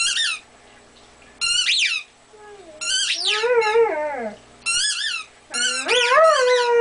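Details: Weimaraner talking to his toy indoors: a run of high, squeaky, wavering yelps and whines, sliding up and down in pitch, in short bursts with brief gaps between them.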